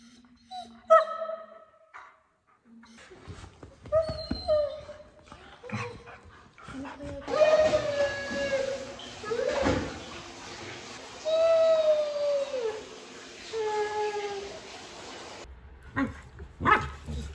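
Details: Pet German Shepherd talking in his own way, with drawn-out whining and howl-like vocalizations that slide downward, some long wavering moans, mixed with background music and a few short words from a person.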